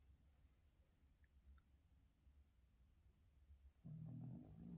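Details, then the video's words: Boston Terrier named Yoda snoring and yawning while resisting being woken in the morning: soft, low rumbling breaths throughout, then a louder, deep, throaty snort-groan rising in the final second. "Boston terrier dog Yoda is snoring, yawning and hating morning wake up"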